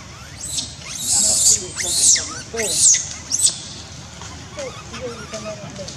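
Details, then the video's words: Baby monkey Dustin in Cambodia, having lost its mother, screams for her while brother David tries to stop its crying; four shrill, high-pitched screams in quick succession over about three seconds, then fainter squeaky calls in the background. "dustin monkey lost mum he screaming for mum"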